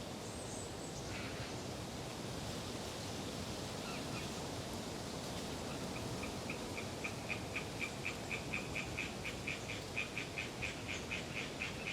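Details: Hyla orientalis tree frogs chattering on a windy autumn day in Galeriç Swamp Forest, Kızılırmak Delta, Samsun: after six seconds a fast, regular train of short high clicking pulses, about four per second, rises over steady wind roar, preceded by a thin high whistle.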